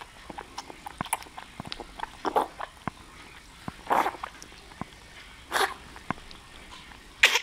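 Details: Nine-day-old Bull Terrier puppies, with a female noted, make soft snuffles, brief squeaks and breathy grunts at irregular intervals.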